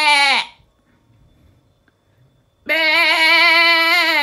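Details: Sheep bleat, a call for wanting something such as food or a lamb, or for showing off. The tail of one bleat drops away, then after a pause a long, loud, trembling 'bah' runs for over a second and a half.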